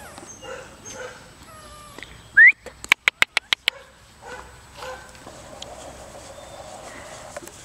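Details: Two-month-old female American Akita puppy at a Romanian kennel gives one short, high, upward-sliding yelp, followed by a quick run of sharp clicking taps and quiet Romanian speech in the background.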